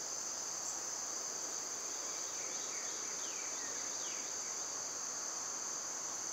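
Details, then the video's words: Loud summer cicada chorus, an even high-pitched buzz without pause, overlaid by a short cluster of descending bird chirps around the middle. "Cicada sounds"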